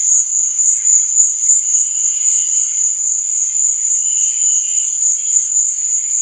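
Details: Crickets chirping at night: a dense, unbroken high-pitched trill holding steady throughout, with a fainter, softer shimmer drifting in and out beneath it. No other clear sounds.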